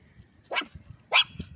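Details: A Chihuahua, out on a walk in a stroller, gives two sharp, high-pitched yappy barks about half a second apart.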